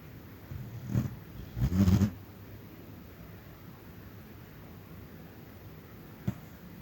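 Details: A small pet dog snoring while asleep and dreaming of chasing rabbits, indoors: two low, rough snorting breaths near the start, then quiet room hiss with one short click later.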